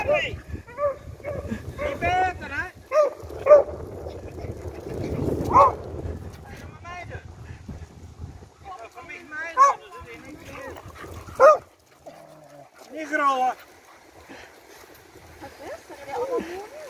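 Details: Beagle at play after search and rescue training: sharp, high yelping barks in scattered bursts, mixed with people talking.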